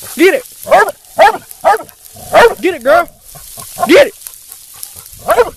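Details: Female black and tan coonhound, almost two years old, training for UKC shows: irregular series of short, tonal barks, some paired closely together, with a pause before a final bark.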